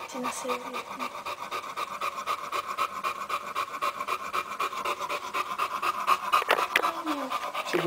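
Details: Boxer puppies from a litter born 02/02/10, four females and three males: quick, breathy panting in a steady rhythm of about four breaths a second, with a brief whine near the end and a person speaking.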